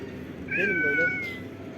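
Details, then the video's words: A bold, swaggering kitten indoors gives a single drawn-out meow, a clear tonal cry holding steady then sliding slightly down over about a second, with a person talking nearby. "Etrafa racon kesen kabadayı yavru kedi"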